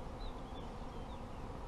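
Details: Steady low droning of many honey bees at an apiary, dense and rough, with faint thin high bird whistles drifting briefly above it.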